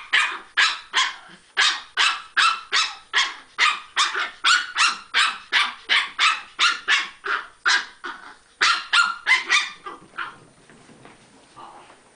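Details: Chihuahuas playing indoors, giving rapid sharp barks about every half second for ten seconds in a steady volley, then trailing into softer, scattered yips and grumbles at the end.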